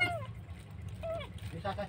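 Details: Abandoned kitten crying alone by a roadside, very loud; two short falling mews, each about a quarter second, separated by a pause, with low background rumble and a brief voice at the end.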